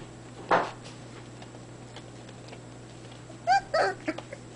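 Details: Irish Terrier puppies, 28 days old, giving one short squeaky yelp and then, after a pause, a quick cluster of three or four sharp yelps near the end. A faint steady hum runs underneath.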